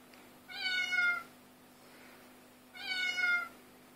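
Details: Two clear, slightly falling meows about two seconds apart from a domestic cat chorus, filmed on an Android phone, with a constant low hum in the background.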